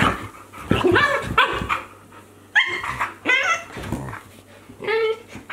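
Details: Two Akita Inu playing, a 14-month-old and a 2-month-old puppy, giving short yips, whines and little barks in irregular bursts; Akita.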